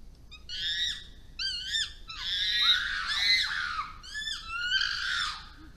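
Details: Chimpanzees confronting wild dogs in Tanzania's Issa Valley: shrill overlapping screams, with short wavering bursts at first, then a long continuous stretch of harsh screaming, and more short wavering cries near the end.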